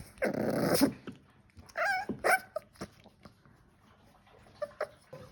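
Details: Staffordshire bull terrier puppies playing: a rough, loud growling burst lasting under a second, followed by several short, high, whiny yips and quieter squeaks amid light shuffling.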